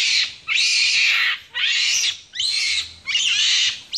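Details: Capuchin monkey in Ecuador, April 2015, pulling on a finger, gives loud, harsh, broadband squealing calls, four in a row, each lasting about half a second and separated by brief pauses.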